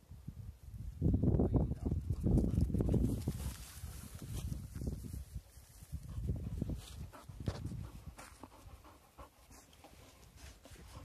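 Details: Seven-month-old female Irish Water Spaniel panting: fast, breathy, low huffing pulses in uneven bursts, strongest early on and then fading, in a fairly quiet setting.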